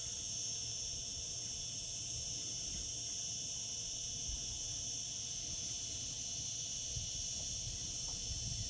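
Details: Singing cicadas in summertime produce a sustained high buzzing hiss in layered bands, unchanging in level, over a gentle low-pitched background rumble with a couple of soft knocks.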